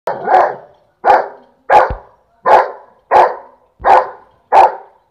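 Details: A Saint Bernard barks at a peacock seven times in steady succession, about one bark every three-quarters of a second, each a full, hoarse, mid-pitched woof with no other sounds.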